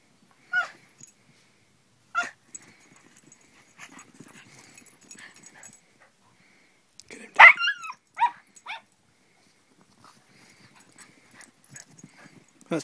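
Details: Dogs playing in snow on a race track built by snowed-in boys: sharp, high yipping barks sound in scattered bursts, with a louder cluster of yelps midway and quiet rustling between calls.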